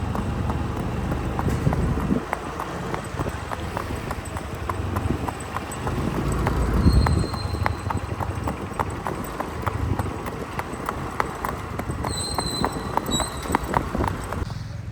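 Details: A ridden Marwari horse named Gajavar, back under saddle after roughly eight or nine days during training; fast, busy clip-clop of hooves at a running pace, with brief thin high tones midway and near the end.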